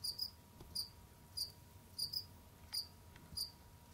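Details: Pet Jamaican field crickets moving about and hunting in an indoor enclosure: crisp high chirps, often in close pairs, recurring at uneven intervals, accompanied by a steady faint hum and a couple of light taps.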